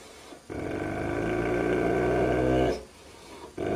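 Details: Angry dog growling in a funny barking and growling compilation: one low, rough, sustained growl lasting about two seconds, steady and rumbling, then a short drop to quiet before the growl resumes.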